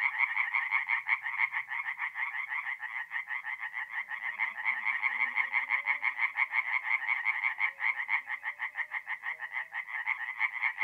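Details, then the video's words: Night chorus of singing tree frogs at a forest pond in north-east Italy, mid April: quick, evenly pulsed croaking from several frogs runs throughout, with faint low whirring or humming in the background. "relaxing forest pond by night with singing tree frogs"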